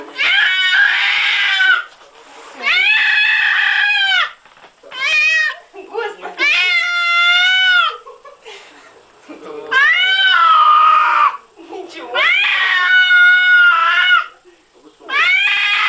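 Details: An angry, talking indoor cat gives long, drawn-out, nasal yowls of one to two seconds each, about seven in a row with short pauses. A person calls out the name Timofey.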